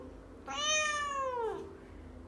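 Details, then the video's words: A pet female talking cat named Mo, taught to respond 'no' when she disagrees, gives one long, tonal meow lasting about a second that slowly slides downward at its end, inside a quiet room. "My talking Cat says No"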